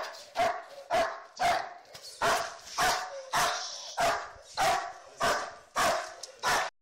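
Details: Protection training with Tayson, a black German Shepherd: evenly spaced, deep, harsh barks, about nine in a row, each one short and explosive.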